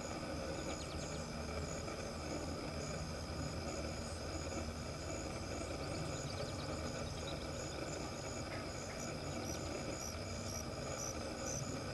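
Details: Steady traffic and engine rumble fill the recording, with faint beeping tones but no clear animal calls.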